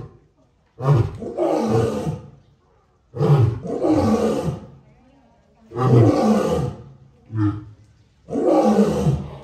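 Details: Male lion roaring: four long, deep, rough roars, each a short onset then a sustained grating bellow, spaced about every two and a half seconds, with a quieter grunt between the last two.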